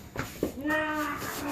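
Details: Charlie the dog, June 2015, holds one long, steady, tonal whining note that dips slightly and levels off, preceded by a couple of short muffled sounds indoors.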